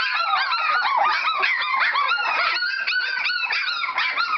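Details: Standard Poodle puppies in a whelping box, crying with steady high-pitched whimpers and short squeaky yips, many voices layered without pause.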